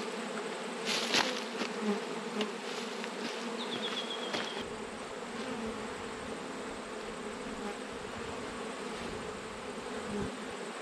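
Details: Steady massed buzzing of honey bees at an open hive while a beekeeper works through an autumn inspection after a swarm; the continuous drone carries a few sharp knocks early on and a faint thin whistle around the middle.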